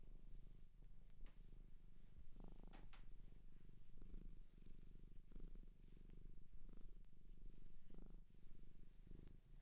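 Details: Low continuous purring from a cat taken in from a shelter in Japan, recorded close in a quiet room; breath-paced surges of rumble recur every second or so, with occasional soft rustles.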